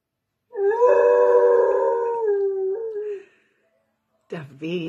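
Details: Weimaraner throwing a fit for attention with a long drawn-out howl lasting over two seconds, steady then dropping slightly before fading; after a pause a second, wavering whine-like howl begins.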